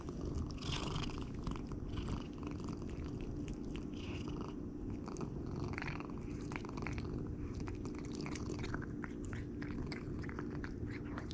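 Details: Steady rumbling purr from Jericho, a house cat eating raw food, held throughout alongside dense crunching, licking and chewing sounds; indoor setting.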